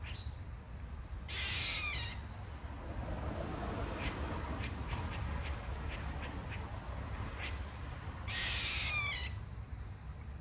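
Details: A squirrel yelling from a tree, possibly a mating call, gives two harsh, raspy squawking bursts, several seconds apart, over a steady low rumble.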